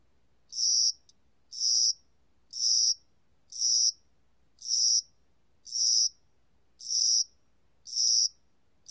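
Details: Spring-and-summer cricket chirping: bright, high buzzy bursts about a third of a second long, repeated steadily about once per second, nine bursts against a quiet, clean background.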